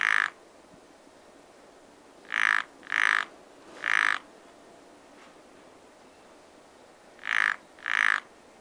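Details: Frogs croaking at a pond in spring in Japan, wild, with loud harsh broadband croaks in bursts: one at the start, three spaced about half a second apart, then a pair near the end, over quiet steady background hiss.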